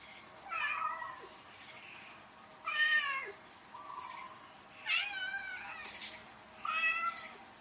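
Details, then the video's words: Cat meowing four times at a moderate distance, short, slightly nasal calls repeated every two seconds or so, with a faint steady hum underneath. "CAT MEOWING SOUNDS"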